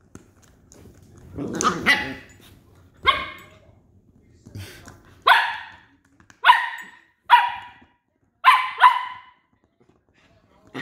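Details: Westie puppies Rocky and Rudy, West Highland White Terriers, wrestling over a toy indoors; a run of loud, sharp barks and yaps, some doubled, with pauses of about a second between them and brief growly scuffling at the start.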